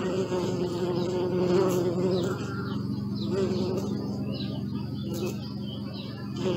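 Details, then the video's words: Bees buzzing up close in a dense, low, droning hum that swells and fades as individual insects move about. Light chirps are heard faintly behind. "Bee sound"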